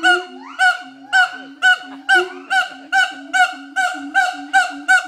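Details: Adult mated pair of siamang gibbons at Schmutzer Primate Center singing their morning duet to advertise territory: loud, regular booming barks about twice a second, with rising whooping glides threading between them.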